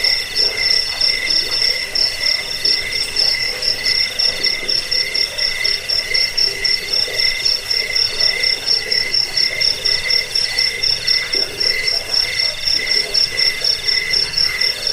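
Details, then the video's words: Cricket chorus used as a rat-repelling sleep aid and songbird tutoring track: steady high-pitched pulsed chirps running without pause, two bright layers of trilling plus a fainter rasping undertone. "Suara jangkik pengusir tikus pengantar tidur"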